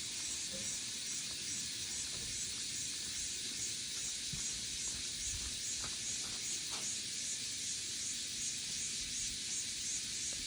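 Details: Cicadas singing in summer fill the air with a steady, shrill, hissing drone that never lets up.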